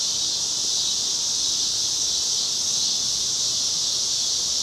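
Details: Evening cicada chorus on a Chicago street, cloudy August 2010, a constant piercing high buzz that never breaks or changes, with very little else audible.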